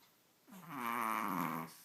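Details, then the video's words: Princess, a pet Chihuahua, makes a funny snorting noise indoors: a single nasal, buzzy, grunting sound lasting over a second, starting low and swelling louder before cutting off. "Chihuahua making funny noises"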